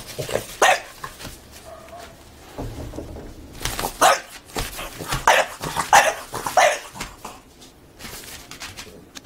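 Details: A French Bulldog dancing excitedly at the door gives short, sharp barks and yips at uneven intervals, with brief quiet gaps between.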